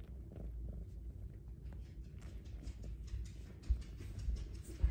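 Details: A female Bengal kitten, possibly a Snow Lynx Bengal, purrs loudly in a steady, deep, rumbling drone while being petted and given attention.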